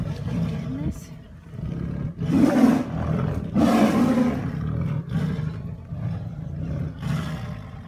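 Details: Male Amur tigers fighting in a zoo enclosure at Assiniboine zoo, recorded 17 April 2017; loud broad roaring bursts around two and four seconds over low rumbling, with some background voices.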